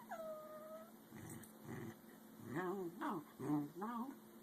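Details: Two American Eskimo Dogs, a 5-month-old puppy and an adult, squabble indoors over a bone; a high whistled whine opens, then wavering, vocal-sounding grumbles and growls rise and fall in short bursts, like talking, with a person speaking.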